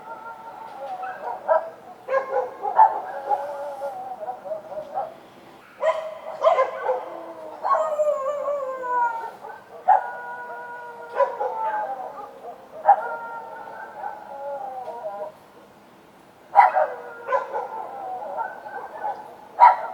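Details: Street dogs at night, several voices overlapping: sharp barks in bursts every few seconds, mixed with long, wavering, slightly falling howls and whines that stretch between the barks, over a quiet night background.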